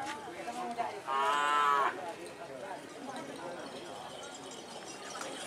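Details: Cattle in training for the Madura karapan sapi bull race, East Java, Indonesia: one loud, nasal, steady moo of just under a second, set against an outdoor background hiss and faint distant voices.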